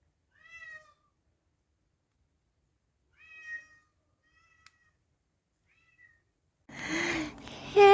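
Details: Famous talking cat in his first show appearance gives short clear tonal meows, two fuller ones several seconds apart followed by fainter brief mews, then indistinct human voices begin at the end.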